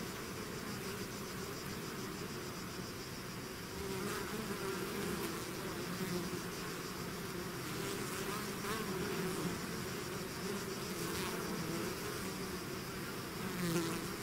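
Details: A swarm of bees out of its hive fills the air with a dense, steady drone, low hums layered around 200 and 400 pitch bands, individual bees passing close with brief louder swells, no other sounds.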